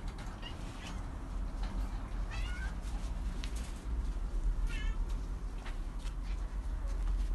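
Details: Cat in an attic, giving a few short wavering meows near the middle and again later, each rising then falling, partly buried under a constant heavy low rumble and scattered clicks.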